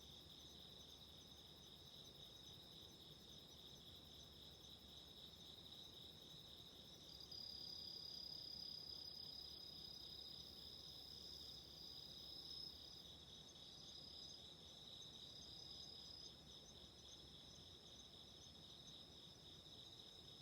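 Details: Autumn insects singing at night beside a candle flame: steady high-pitched, thin trills from several callers, one piercing trill rising in loudness midway then fading, with a faint hiss underneath.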